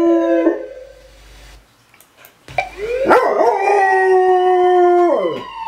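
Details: A male German Shorthaired Pointer howling for the first time gives a brief howl, pauses, then a long, steady, mid-pitched howl.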